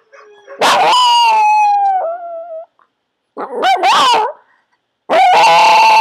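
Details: Cherub, a pet Yorkshire Terrier being taught to howl on command by shaping, gives three drawn-out tonal howls, the first sliding gently downward over about two seconds, with short silent gaps between.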